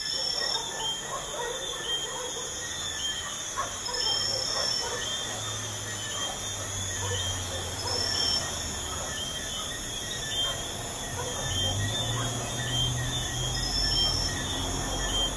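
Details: Night chorus of crickets near a busy highway, their shrill continuous trills layered in high bands with faint pulsing, while a low, intermittent rumble of passing traffic runs underneath.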